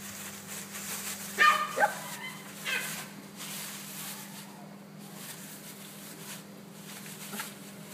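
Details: West Highland White Terrier female barking indoors: two sharp high yips near 1.5 seconds, then a softer bark, followed by quieter whines and rustling over a steady electrical hum.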